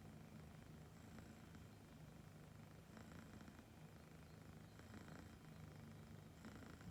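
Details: Content Siberian kitten purring as birds sing nearby, a low continuous rumble that swells with each breath roughly every two seconds, brief high bird twitters rising above it.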